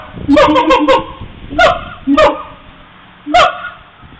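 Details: Mobile phone recording of siamangs: a fast burst of four harsh honking notes, then three spaced, louder single barks with a faint background hum.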